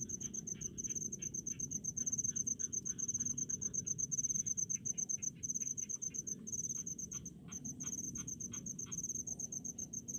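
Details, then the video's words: In rice paddies, crickets keep up a piercing, high chirping broken into fast pulse trains. A second, lower, clicking pulsed caller grows busier midway. A low rumble continues throughout. "SUARA JANGKRIK DI PESAWAHAN"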